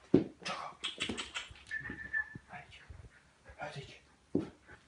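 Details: Chocolate Labrador at play time during sound desensitization training. Two sharp, loud bark-like bursts, one at the start and one near the end, with a person talking and faint whines between them.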